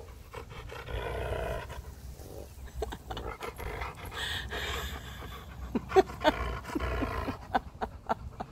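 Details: A female Siberian Husky, which growls and barks when happy, grumbles in low, rumbling growls of contentment while being massaged and petted, with a woman's voice nearby.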